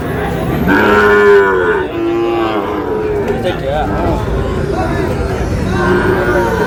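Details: Sahiwal breed bulls and heifer calves bought by a farmer in Barishal, 19 August: a long lowing moo that drops in pitch, a shorter one after it, and a third several seconds later, with crowd chatter throughout.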